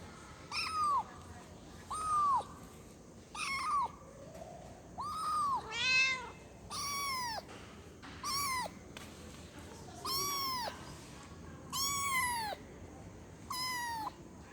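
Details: Kitten meowing to call its mother, high arched cries repeated roughly every one to two seconds, some short and clipped, others longer and louder, over a quiet room background.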